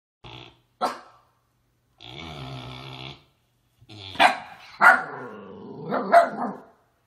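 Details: Miniature Siberian Husky or Alaskan Malamute at play, with a pig that does not want to play: short yips and a sustained harmonic whine-growl, then louder barks and growly grumbles that are uneven and spaced about a second apart.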